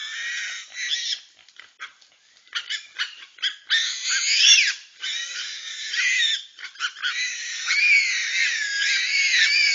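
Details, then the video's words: A group of wild babirusas in Togean Archipelago forest attacking a medium-sized reticulated python. The animals give loud, shrill, wavering squeals that run together into long, sliding screams, broken by short sharp bursts and brief pauses. "Togean Islands babirusas fighting a reticulated phyton"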